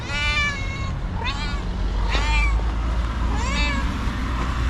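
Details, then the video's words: Angry, nervous white female domestic cat meowing constantly: four drawn-out, harmonic meows, the first long and wavering, then shorter rising-falling cries spaced about a second apart, over a steady low rumbling background. "Angry White Cat Meows CONSTANTLY and Suddenly Gets Nervous"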